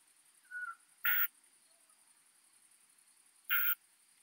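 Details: Isophya modestior bush-cricket, recorded at Eichkogel, Austria, on 18 June 2022; two short, even bursts of hissing, high-pitched stridulation about two and a half seconds apart, with a fainter brief chirp before the first, over quiet background.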